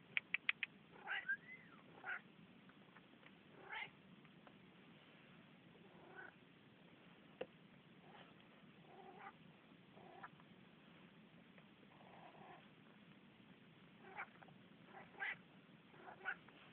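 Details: Talking Manx cat Rudi keeps up a scattered run of brief meows and chirps, a quick cluster at the start, then single calls every one to two seconds, some drawn out and bending in pitch, over low background hiss.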